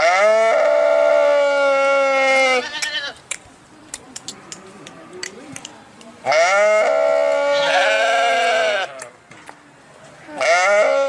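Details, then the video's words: Sheep bleating in long, strained, harmonic-rich cries about two to three seconds each, three bleats spaced by quiet stretches with scattered clicks and faint rustling. "صوت الخروف | the sound of the sheep"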